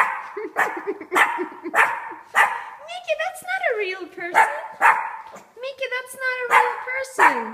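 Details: A 4-month-old Shih Tzu puppy named Mickey, faced with a statue it believes is a real man, whines in bent, sliding tones and short yips, mixed throughout with a woman's coaxing speech.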